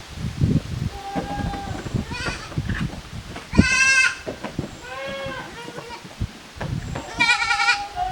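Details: Playing goat kids at a small handmade goat farm on 13 June 2023; loud shrill quavering bleats alternate with lower wavering calls, punctuated by thumps and scraping noises from the animals moving about.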